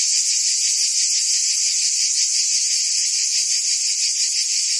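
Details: Cicadas in the trees of a forest give a steady, shrill buzzing that fills the air without pause.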